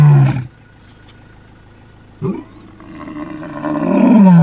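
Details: A lion roaring in the African bush: a deep, loud roar opens, then a quiet gap with a short low burst, then a low roar swells steadily louder to the end.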